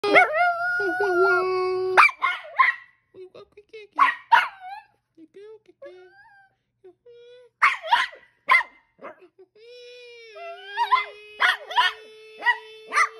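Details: A singing Chihuahua howls in long, steady, wavering tones broken by quick bursts of sharp, high yipping barks, with quieter sustained tones and a brief human voice.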